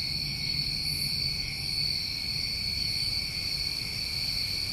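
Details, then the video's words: A steady, shimmering trill of many crickets on a New England summer night, high and constant with no pauses, over a faint low hum. "Over 1 Hour Of Tinnitus Masking With Crickets"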